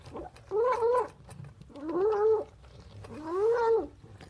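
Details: Hungry, excited cat making loud noises while eating breakfast indoors: three drawn-out wavering moaning calls, each about half a second to a second long, with smacking and chewing sounds between.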